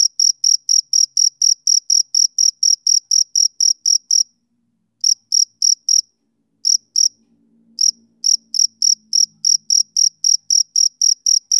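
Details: Male cricket calling on a summer evening, high quick pulses about four per second, broken by silent gaps of a second or two before resuming; a faint low hum underneath.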